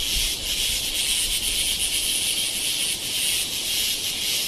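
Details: Cicada in India, recorded at Kodaikanal and Thekkady in 2014, producing a steady, hissing high drone with slight pulsing and no breaks across the whole stretch.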